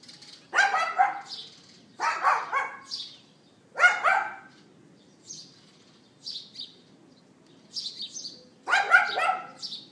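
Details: Neighbour's dog barking outside, captured by iPhone 4S late morning on 18 April 2012. Four harsh, ragged barks come at irregular gaps of one to five seconds, while small birds chirp steadily between them.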